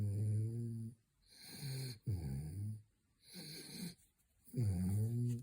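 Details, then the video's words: French Bulldog snoring during his third midday nap indoors: low, rumbling snores with a harmonic, wheezy tone, each about a second long, separated by short quiet gaps. "Frenchie is snoring"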